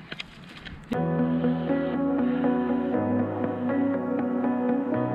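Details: Sustained keyboard-like music with steady harmonic chords, and no animal sound at all.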